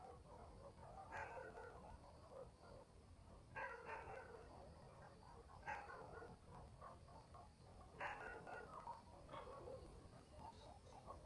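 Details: Village dogs barking at night in the countryside, each bout a short cluster of harsh barks, recurring about every two to three seconds, with quieter yaps between them against a faint night-time background.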